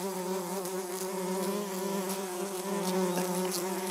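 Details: Orange-belted hoverfly, Xylota segnis, giving a steady, low droning wing buzz with a strong hum and stacked overtones that holds evenly for the whole four seconds, with faint clicks above.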